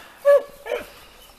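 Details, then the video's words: Segugio Italiano hound during training on hare, giving two short yelping bays, the first loud and held briefly, the second fainter, then quiet. "Segugi italiani, addestramento su lepre"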